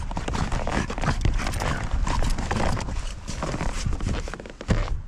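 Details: Begging for sushi, a French Bulldog keeps up continuous rough snorts and snuffling grunts in quick succession, loud and steady for about five seconds.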